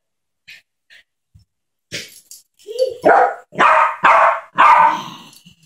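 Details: Small Yorkshire terrier Ketty playing with a baby; a few faint clicks, then a short whine followed by four loud, sharp, high-pitched barks in quick succession.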